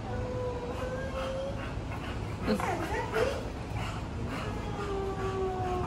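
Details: English Bulldog named Waco reuniting with his owners after dog training, giving long, steady, high whines, then a wavering howl-like cry that bends up and down, before the drawn-out whining resumes; soft background noise throughout.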